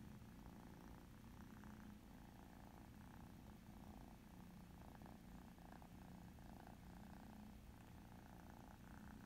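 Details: Ex-feral tabby mother cat Pom Pom with her kitten daughters Alma and Ava, playing a mouse game on an iPad; low, steady rumbling purr throughout, with faint rhythmic tapping and soft pulsing mid-range sounds.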